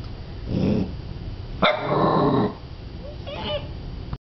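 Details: Cardigan Welsh corgi on its first morning home makes low grumbling growls and a short harsh bark-like burst, ending with a faint high whine.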